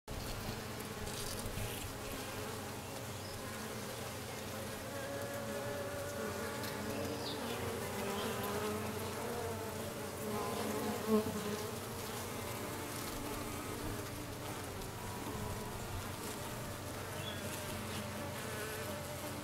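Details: Western honey bees around a newly arrived dark queen, recorded 6/5/13, fill the air with a steady, layered buzzing hum that swells and thins without a break.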